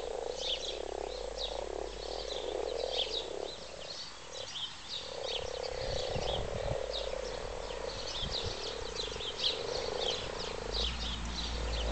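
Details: A chorus of mating frogs in a wildlife garden pond croaks together in a low, continuous, purring drone.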